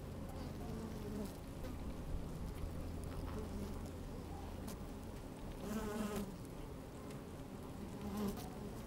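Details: Microphone lowered into an open hive captures working honey bees on a fine sunny day: a low rumbling hum with a few louder, wavering buzzes near the end and faint scraping of bees moving.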